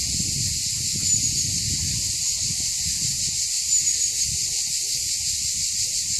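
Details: Cicadas singing in June on Mont Saint Martin hill at Cap d'Agde, France, near villas with a sea view; a dense, steady, loud buzzing chorus fills the air without pause, with faint low rumbling and soft footsteps beneath.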